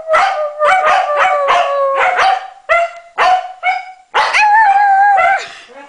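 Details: Norwegian Elkhound Maddie joins a Husky in song: quick broken howl-barks repeated in a choppy series, ending in a sustained steady howl, while a person remarks on the yelping.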